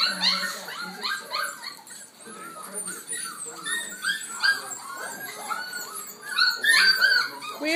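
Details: Six-week-old F1b Goldendoodle puppies crying at home while football plays; a dense chorus of shrill overlapping squeals and whimpers, with a woman talking and television sound behind.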